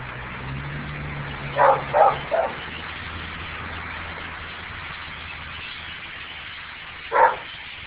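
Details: Household dogs go wild barking out the window at a massive flock of blackbirds; a quick run of three barks comes early, then a long gap and one more, with a low engine hum and bird noise behind.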